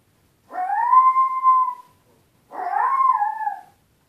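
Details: Puppy named Tito crying while his owners are away: two drawn-out, high whining cries, each rising then sliding down and lasting over a second, separated by a short silence; nothing else audible.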